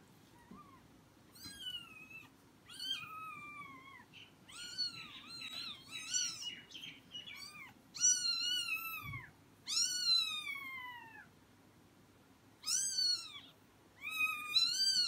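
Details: Persian cat with four newborn kittens, kept indoors; a run of high, clear mews, each arching up and then sliding down. They come in quick bursts with short pauses, about ten calls across fifteen seconds, over a faint low background hum.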